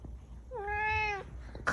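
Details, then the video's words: One clear meow from a cat with a kitten, starting low and gliding up before holding steady for about half a second, then a short click-like noise afterwards. "Cat and cute kitten 😸 || Cat Meowing"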